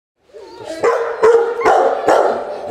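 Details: Akita Inu dog at its first training session, Čačak, Serbia, 2020: a soft whining onset, then four sharp, loud barks with ringing tonal tails, spaced roughly half a second apart.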